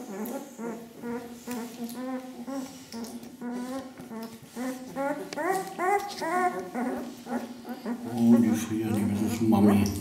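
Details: Litter of Ca de Bou pups, ten days old, parents Ivi and Tito: a long series of evenly spaced squeaky whimpers climbing in pitch, then music and a voice take over near the end.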